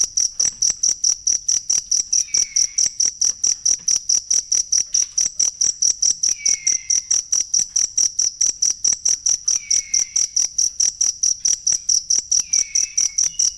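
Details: A cricket, offered as authentic material for training songbirds, chirps in a long, unbroken, metronomic series of shrill pulses, with four brief, soft downward whistles spaced a few seconds apart in the background.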